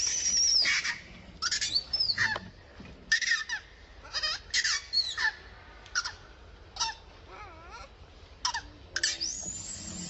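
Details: Wild monkey around Angkor Wat in its natural habitat, crying angrily: a series of short, high, shrill squeals and sweeping shrieks, bursting out every second or so, with outdoor background noise.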